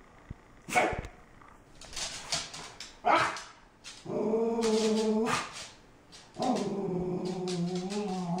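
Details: Frustrated puppy that sneezes when frustrated: quick sneezy bursts followed by drawn-out whining moans, each lasting over a second, with steady tonal layers.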